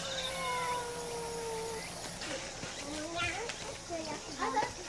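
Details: A stray brown tabby kitten greets beside its calico mother, worn out by 35°C summer heat in August 2018. A long, steady, level meow lasts almost two seconds, followed by shorter wavering cries mixed with human speech.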